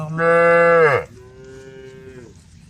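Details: Female cows in a herd on the road, calling the herd: one loud harmonic moo lasting about a second that drops in pitch at the end, followed by a fainter, steadier moo from another cow.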